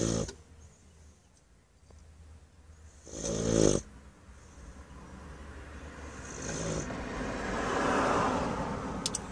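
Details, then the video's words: A sleeping Bluetick Coonhound named Shawnee Sioux, worn out from playing at the park, gives one loud rasping snore, then a softer one. A broad rising rush of noise follows near the end. "Blue Tick Coonhound Snoring"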